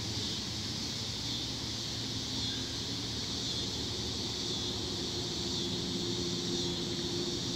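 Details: Tree crickets in a steady, shrill, high-pitched trilling chorus that drowns out everything else, holding an unbroken even drone throughout, with a faint low hum of engines underneath.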